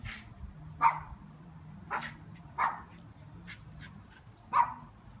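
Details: Yard dog chasing bees, letting out four or five separate short barks spaced about a second apart over a low steady hum.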